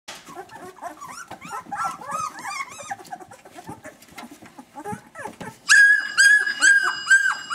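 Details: Newborn Vizsla puppies, eyes still closed, moving about and finding their voices: overlapping thin, arching squeaks and whimpers from several pups, ending in louder, sustained harmonic cries close by.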